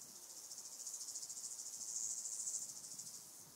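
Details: Southern heath grasshopper (Stenobothrus fischeri) singing at Sandberge Oberweiden, Austria, 15 July 2020: a high, buzzy stridulation of rapid pulses that swells in loudness toward the middle and fades at the end, with a faint noise floor.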